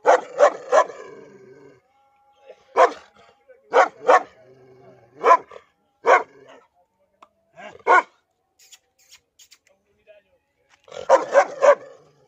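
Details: A dog showing aggression and biting toward its owner barks sharply: a rapid triple burst, then single and paired barks spaced about a second apart, ending in a fast cluster of four, with a short human shout.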